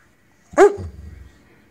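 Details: Temperamental pet Weimaraner lets out one short, sharp bark with a brief low rumbling tail. Otherwise quiet.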